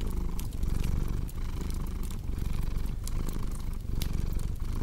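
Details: Short stretch of a cat's deep purr, rhythmic rumbling in breath-length pulses, with light fireplace crackle in the background.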